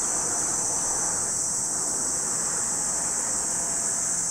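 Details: Cicadas singing at Lake Kamo, Sado City, Niigata Prefecture, Japan, as a constant piercing high whine, with a broad rushing wind-like noise in the middle range underneath.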